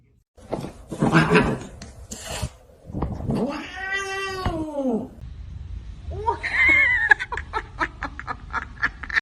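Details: Domestic cat in a funny pet compilation giving a long, drawn-out meow that swells and falls in pitch over about two seconds, with short noisy sounds before it and people talking and exclaiming around it.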